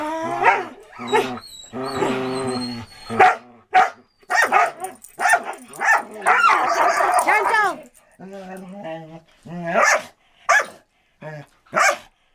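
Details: Samoyed and Border Collie playing in 2014: high yelping, whining barks and howl-like drawn notes, busy and overlapping, with a brief quieter stretch before further barks.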